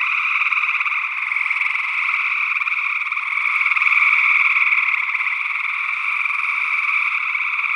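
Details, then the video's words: Early June 2022 in Northwest Wisconsin: gray tree frogs trilling together, recorded in stereo ORTF with small condenser microphones. A thick continuous chorus briefly grows louder midway, with an unidentified second frog species mixed in. "Gray Tree Frog Calls"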